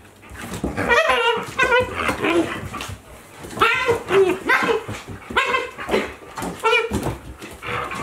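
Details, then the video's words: Akita Inu pair at play, one aged 14 months and a 2-month-old puppy: repeated ringing yips and squeaky whines come in clustered bursts roughly every second, with scuffling noise between them. "Akita Inu | Playing Sounds"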